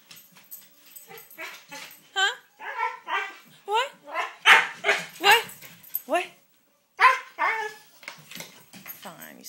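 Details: Pet dog Koda fussing indoors as she is urged to talk, giving a run of short, arching yowls and bark-like grumbles in quick irregular bursts, mixed with a person's voice and a brief pause near the middle.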